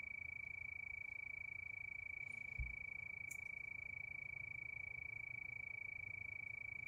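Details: Crickets chirping at night under the moon: one steady high-pitched trill throbbing at a regular pace, low murmur underneath, and a single soft thump with a brief click midway.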